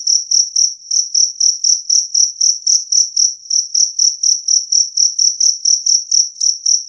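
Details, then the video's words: Two-spotted cricket giving loud, clear, high chirps, about four per second in a steady even row, with nothing else audible. "Suara Jangkrik Kalung Jernih"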